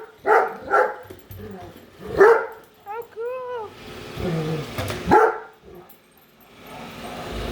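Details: A female Great Dane named Padme barks indoors at a Roomba she dislikes; a few spaced deep barks, a rising electronic tone sequence from the robot vacuum, and human speech.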